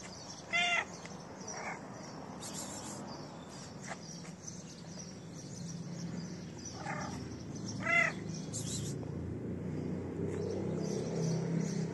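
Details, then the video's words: Dirty feral cat asking for food: a short, clear meow near the start, then two more spaced meows several seconds later, over steady outdoor background noise. "Cute Dirty Cat Asks Me For Food With A Nice Meow."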